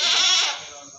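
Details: Meat goat at the Singosari livestock market, Malang: a strong quavering bleat that starts loud and fades out over about half a second, with a faint steady high hum in the background.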